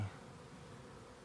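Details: Western honey bees give a low, steady, unbroken drone as the colony is moved from one spot to another.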